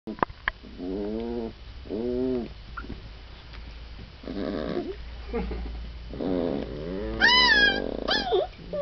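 Afghan Hound puppies whine in short, arched squeals, ending with higher, thin squeaks.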